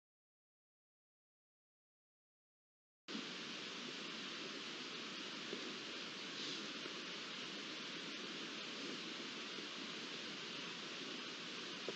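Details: Three seconds of silence, then steady broadband hiss like rushing water or wind, with no animal calls heard.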